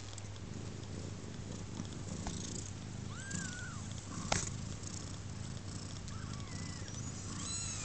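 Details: Four-day-old kittens of Pluma, a steady low purring rumble running throughout, with a few faint thin squeaky mews rising and falling above it.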